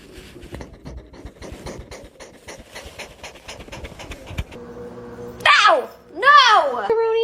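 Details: Domestic cat letting out two loud, drawn-out meows near the end, each arching up and then falling in pitch, the second settling into a held tone, after several seconds of rhythmic rustling and thumping indoors.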